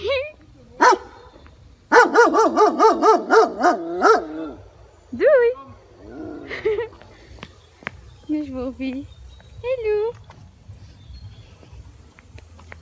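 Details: White Shepherd dog next door, aggressive toward a passing malamute during an evening walk; a fast volley of about eight barks, then scattered single barks and whining yelps, with people talking.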